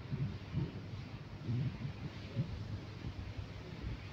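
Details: Steady wind roar and low rumbling, like a distant vehicle, fill an outdoor rural recording, with no animal voice distinguishable.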